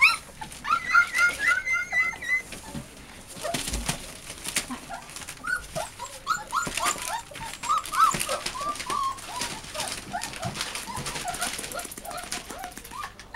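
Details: Eight American Bulldog and Siberian Husky mix puppies indoors, one blue-eyed; several high whimpers and squeaks overlap, some tonal and wavering, amid rustling of cardboard and scattered clicks.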